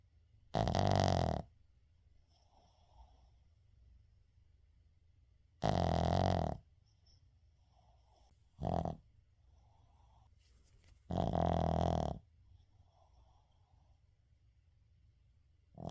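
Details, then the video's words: Uijung the Shih Tzu snoring in deep sleep indoors, unedited; four harsh, buzzing snores, roughly every five seconds, one shorter, with soft whistling breaths between them. "시츄 코골이"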